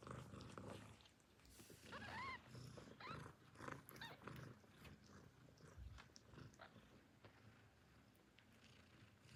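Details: Hungry newborn kittens calling for their mother before nursing, giving a few thin, high, arching meows around two and three seconds amid soft shuffling and low rumbling noise.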